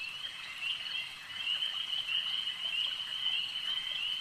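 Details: Chorus of frogs at a lake: shrill overlapping trills forming a steady high band, growing louder after the first second and staying dense to the end.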